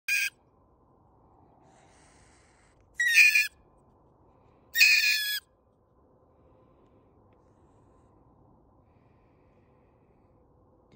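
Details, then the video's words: Live-trapped mink caught from under a house before relocation gives three short, harsh, high-pitched screeching bursts separated by quiet pauses. "Mink vocalization sounds"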